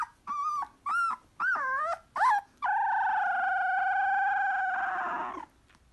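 A Siberian husky puppy gives short wavering yelps, then a long steady howl.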